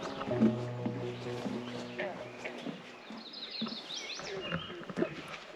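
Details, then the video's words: In Grundy Lake Provincial Park, a green frog gives its low, twanging breeding call like a plucked banjo string; green frogs breed around late June to early July. "That banjo string sound, that's the call of the green frog."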